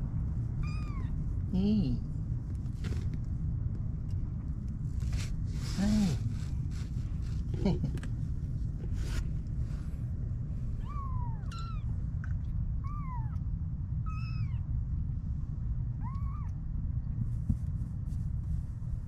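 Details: Stray kittens, 25 days old, a litter of three born to a mother cat at a neighbourhood car shop in Japan; thin, high meows arching down in pitch, repeated irregularly every second or two, over low engine rumble with a man speaking softly.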